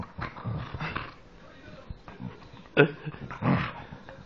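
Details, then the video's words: Dog that sounds like a pig, producing short throaty grunts and snorting bursts, a sharp louder snort near the end, while people speak German in the background. "dog sounds like a pig"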